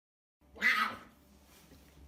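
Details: Messi the puma, asleep indoors, snores heavily: one loud, breathy, rasping snort lasting about half a second, then fades into soft, low breathing noise.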